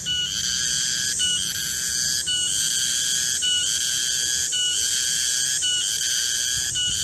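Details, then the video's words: Cicada (garengpung) calling in a garden at midday: a loud, continuous high-pitched ringing drone with several steady tonal bands, broken by brief dips about once a second, with no other clear sounds. "Suara garengpung di kebun"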